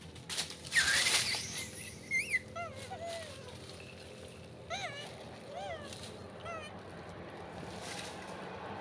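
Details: Southern pig-tailed macaque uttering a series of arched, rising-then-falling tonal coos at irregular intervals, after a loud burst of noise at the start and a faint rumbling background.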